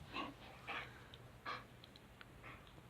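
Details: Pet dog Riley, a male, breathes hard while being told to sit and stay. Three or four harsh, airy huffs with a faint whistling edge, spaced irregularly over low background hum.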